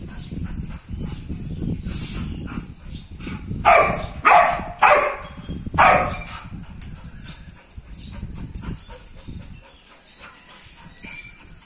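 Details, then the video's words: Doberman Pinscher guarding a house gives a run of four loud, harsh barks about half a second apart mid-recording, over a steady low rumbling background with softer scattered noises before and after. "Doberman pinscher guarding house"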